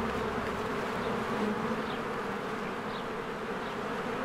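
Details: Springtime beehive with swarms of honeybees flying in and out: a thick, continuous droning buzz with a slight swell early on, and a few faint high bird chirps above it.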